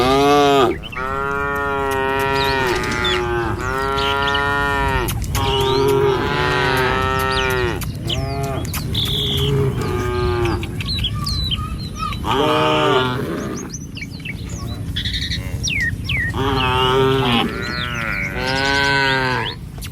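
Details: Tame cattle in a herd walking along a village road in the morning on their way to a field to feed. They give long, drawn-out harmonic moos, one after another, with short gaps, and brief chirps and clicks sound between them.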